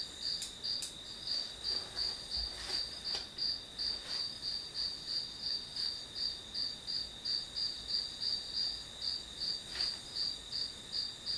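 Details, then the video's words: Bright, regular pulsing chirps of grass insects, about three per second and very even, with a few soft clicks and taps in the background. "풀벌레 소리"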